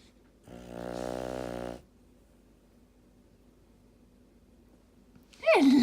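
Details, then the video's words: Pet dog asleep indoors in the morning while someone tries to wake it: one buzzy, harmonic-rich snore lasting just over a second, then a quiet room, ending with a high, sliding human voice. "snoring dog"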